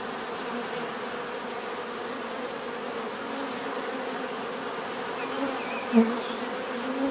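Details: Continuous humming of many bees, an even droning buzz with layered tones, and a single bee briefly swelling louder as it flies near toward the end.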